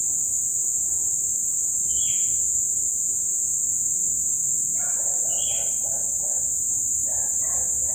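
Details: Masses of crickets calling at dusk after days of abundant rain: steady, shrill continuous buzzing, joined by two brief high chirps and a cluster of lower, rapid calls toward the end.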